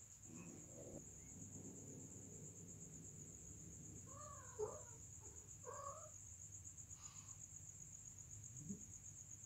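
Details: Domestic cats during mating give short, wavering harmonic cries around the middle of the clip, two or three bending yowls close together, over a steady high electronic whine and low background rumble.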